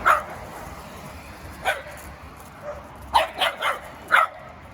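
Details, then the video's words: Reactive, aggressive dog seized after mistreatment and now in behavioural rehabilitation, barking: short, sharp single barks spaced a second or so apart, four or five in all, over a quiet background. "Se noi inibiamo punendo il cane quando ringhia, quando abbaia, poi impara ad attaccare senza segnali di preavviso."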